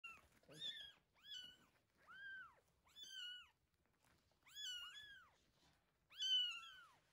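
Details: Rescued kittens Terra and Towa, about a week old, mewing while being fed indoors: six high, arched cries, each rising then falling, in bursts about a second apart with short quiet gaps between.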